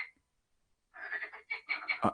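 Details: Loud frogs heard through a slightly open door during a live meditation session: one brief note, a short silence, then a run of rapid, pulsed, rattling croaks in several bursts.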